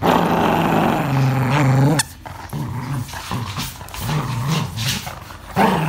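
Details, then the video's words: English Cocker Spaniel growling angrily during play: a low, rumbling growl held for two seconds, then broken, rough growls and snarls rising and falling, ending with another sustained low growl. "Angry Cocker worse than Doberman"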